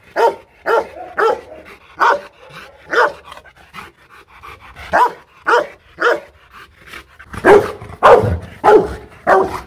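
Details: An aggressive Rottweiler barks in deep, harsh, repeated bursts, coming faster and louder toward the end.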